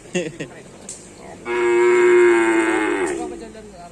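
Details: During bull racing practice on the Asemanis field, Pamekasan, cattle give one loud, sustained, even-pitched moo of almost two seconds, swelling and then fading, after a few short sharp sounds.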